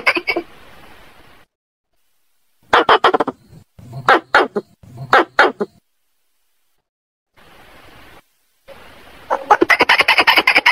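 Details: Squirrel calling a mate: short clusters of harsh clicking chatter separated by silences and stretches of faint hiss, ending in a loud, fast train of sharp chucks.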